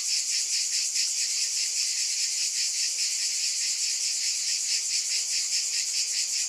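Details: Insistent high buzzing of cicadas, beating in fast even pulses, with nothing else audible.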